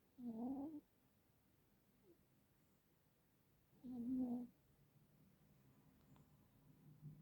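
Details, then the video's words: Cat asleep and snoring, with two whiny, tonal wheezes about three seconds apart, each slightly wavering in pitch, and quiet room noise in between. "Когда храпит кошка"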